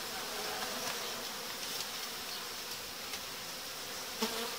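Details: Continuous, even humming of many honey bees at a hive being reorganised after colonies were united and the dividers taken out; a faint click near the end.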